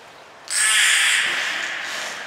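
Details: Beluga named Gray at Port of Nagoya Public Aquarium, recorded 3 February 2023 while being moved to another pool; a loud, sustained high whistle with bright harmonics starts abruptly and holds steady, slowly fading.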